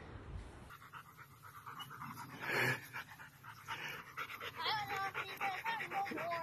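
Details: German Shepherd at home with a newborn baby in the family. Rapid, rhythmic panting at about four breaths a second, then thin, high whimpering squeaks in the last seconds.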